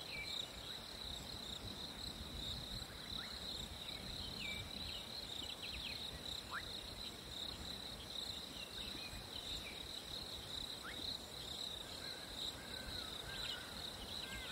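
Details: Crickets singing on a hot summer day, a steady high trill held without pause throughout, with a faint second band above and soft scattered chirps against a low background hiss.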